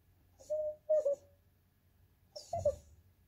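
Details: Andy, a young Goldendoodle begging for snacks or petting, gives short sing-songy whines: a steady tone, then a wavering one, a pause, then a final bent whine with breathy noise, over a quiet indoor hum.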